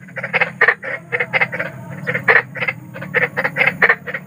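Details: Night-time croaking of a big frog in nature, harsh short notes in uneven bursts, several per second, with a low rumbling hum beneath.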